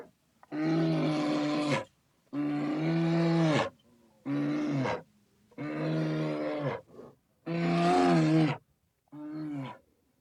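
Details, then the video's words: Bear roaring repeatedly: six loud, deep, harmonic bellows of roughly one second each, evenly spaced and held at a steady, low, groaning pitch. "Interesting sounds of familiar animals: bears"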